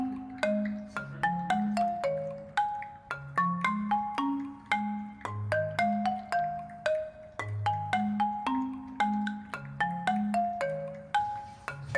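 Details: A quiet, gentle marimba melody of plinking mallet notes repeats throughout, with no animal sounds.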